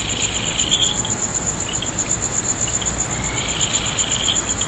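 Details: Insects calling late at night under a full moon in Nagahama-cho, Naze, Amami City, Amami Oshima, Japan, August 2011; a thin, very high, steadily pulsing trill runs throughout, with fainter higher chirping patches over a constant broad hiss.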